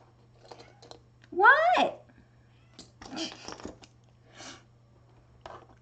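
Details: Indoor domestic cat meowing insistently while someone works on resin dice: one loud rising-falling meow with clear harmonics, followed by quieter rustling and handling noises in a small room.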